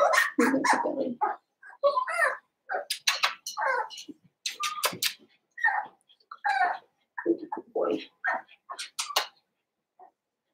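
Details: Litter of five blenheim Cavalier King Charles Spaniel puppies, seven weeks old, born at New Year's, in an indoor home puppy pen; short high yips and small barks come in irregular bursts over ten seconds, mixed with sharp clicking knocks.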